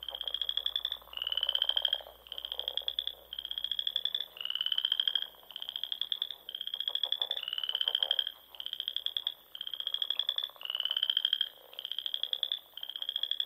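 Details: In the Nebraska Sandhills, frogs sing in spring at dusk by ponds among rolling dunes: a steady run of about a dozen pulsed, slightly rising trills, each about a second long, with brief gaps between them.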